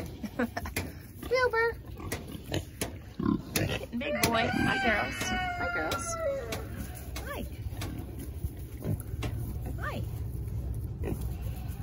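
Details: Berkshire piglets being hand fed, giving short high squeals with bending, harmonic-rich tones, some sliding up and down, scattered through the clip amid a woman talking to them, clattering and background hum.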